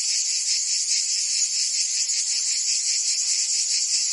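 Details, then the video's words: Cicadas singing on a summer day in Provence, France: a dense, steady, high buzzing chorus that throbs in soft pulses about two to three times per second, with no break in loudness and no other sounds. "Cicadas singing in France (Provence)"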